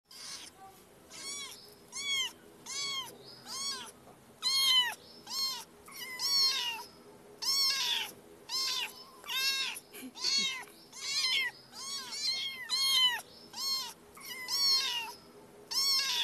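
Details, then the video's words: Cat meowing over and over, roughly twenty short, high, arched meows in quick succession, each bending up then down, with brief gaps and a faint low hum underneath. "Cat sound"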